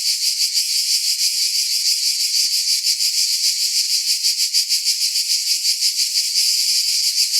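A cicada's steady, high-pitched electric buzz, pulsing rapidly throughout without a break.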